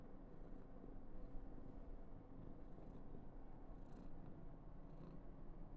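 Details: Karen, a female Somali cat born 19 November 2021, indoors on her 995th day in an affectionate mood, purrs in a steady low continuous rumble, with faint breathy high-pitched puffs scattered through it.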